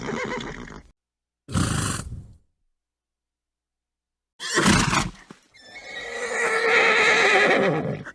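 A horse snorts in short, breathy blasts, then breaks into a long, quavering whinny.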